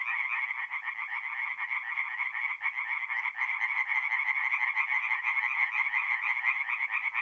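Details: Singing tree frogs in a forest pond at night in mid-April, north-east Italy, calling together in fast rattling pulse trains that blend into a loud continuous chorus, with a brief dip near the middle.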